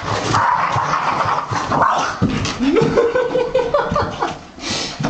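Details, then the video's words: Boston Terrier dog barking and making odd noises: a run of wavering, whiny mid-pitched moans that rise and then level off, with rough huffs between them and household background noise. "the Boston Terrier barking and making weird noises"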